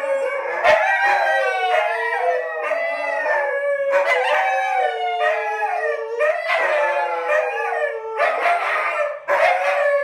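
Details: Three rescued dingoes howl together indoors in a studio, long wavering tones rising and falling over one another.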